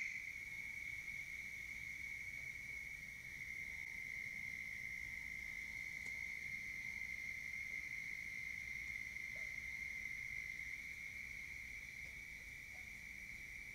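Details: Genus Bufo toads on a pond bank in Richland County, South Carolina, on a warm late-April night in 2021: a faint, continuous high trill drones without a break over soft low background rumble.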